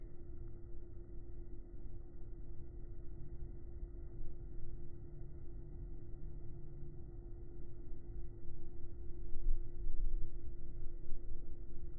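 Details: Steady low hum with a constant tone and broadband noise, no animal sound heard.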